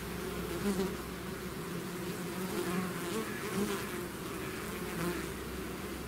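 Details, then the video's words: Many bees swarming out of the hive: a thick, even buzzing drone with overlapping wingbeat tones wavering up and down and occasional closer fly-bys. "bees therapy swarm natural buzzing sound"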